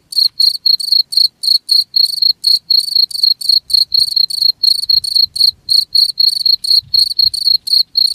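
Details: Cricket producing a regular series of shrill, ringing chirps roughly four per second, bright and steady over a faint low rumble.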